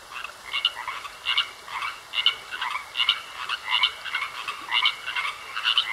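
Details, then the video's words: Frogs in a pond croaking, a clear rhythmic series of bright rasping croaks repeated roughly every 0.7 seconds over a quieter chorus and a steady high drone. "Sounds Of Frogs Croaking In A Pond"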